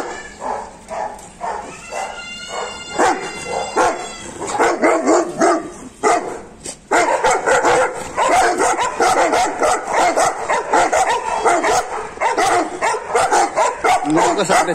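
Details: Saint Bernards at a Naharlagun breeding centre: a chorus of overlapping barks that grows steadily denser and louder, with a brief high whining yelp early on among the rhythmic deep barking.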